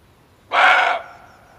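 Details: A male barking deer gives one harsh, explosive bark of about half a second, then silence; this call serves as a lure for hunters.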